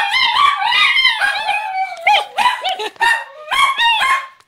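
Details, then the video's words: Two Chinese Crested dogs, Mr. Belvedere with more hair and the hairless Sprocket, howling indoors with their owner at a favorite pastime; loud, wavering high howls that rise and fall, broken by short yips and gaps. "Chinese Cresteds howling"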